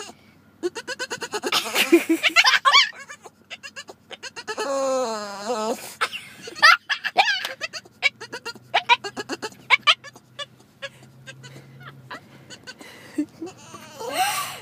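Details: Bruce, a year-and-a-half-old Boston Terrier, cries out on seeing a dog across the street he wants to play with: goat-like bleating, wavering whines, one long wobbling cry midway, and bursts of rapid yelps, while people laugh and talk nearby.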